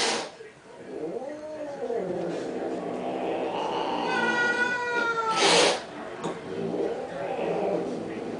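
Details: Cats quarrelling over a car, giving arched wailing yowls, then a long high strained caterwaul with stacked harmonics, a sharp hiss-like burst, and a quieter yowl afterward; voices faintly present.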